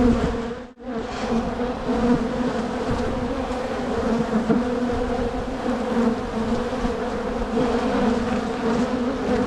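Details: Steady droning hum from a crowded honey bee colony during a spring hive split, frames with brood and queen cells being inspected; the buzz holds an even low pitch with a brighter overtone, briefly cut by a sharp knock near the start.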